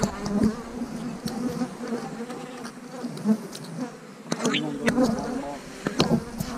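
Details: Honey bee colony being divided into splits with queen cells, March 2020: dense, even buzzing hum with bright harmonic lines, louder surges near the end, and sporadic clicks from frames being handled.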